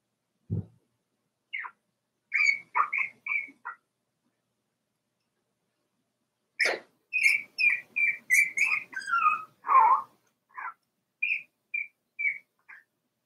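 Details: Daisy's four-week-old Cavalier King Charles Spaniel puppies whimpering in their pen: a low grunt, then bursts of high, short whines repeated in quick runs, with a pause of nearly three seconds between bursts.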